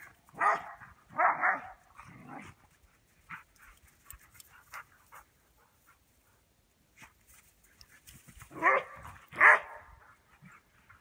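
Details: Border Collies at play in snow give short, harsh barks in two bursts, three quick barks at the start and two more near the end, separated by quieter rustling and a few faint huffs.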